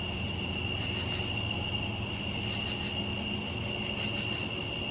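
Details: Crickets on a summer night, a steady high insect trill forming continuous bands with faint pulsing, over a low rumbling background.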